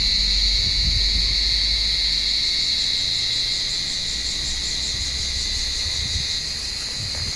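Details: A chorus of cicadas, abundant this year, calling in an olive tree on a warm evening as a blind cat named Mabel hunts them; an unbroken, shrill, steady buzzing hum with slight wavering and faint low rustling.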